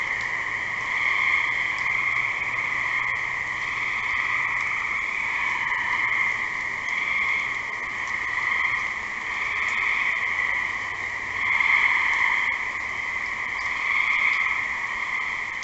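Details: Gray tree frogs in a steady trilling chorus, bright and continuous, swelling and fading slightly in loudness over about fifteen seconds; no other distinct sounds.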